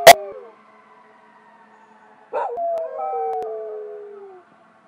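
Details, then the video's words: A household dog, one of a golden retriever–duck toller mix and Buhund mix pair, howls at passing sirens. A sharp click comes first, then silence, then a single drawn-out howl sliding slowly downward with layered overtones. "Dogs Howling at Sirens"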